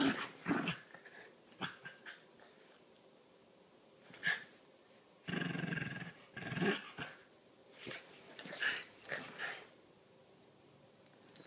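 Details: Playful indoor tussle between Lilah, a Chiweenie, and Minnie, a Rat Terrier/Chihuahua mix; rough growls in scattered bursts, with a longer grumbling stretch midway and scrabbling in between.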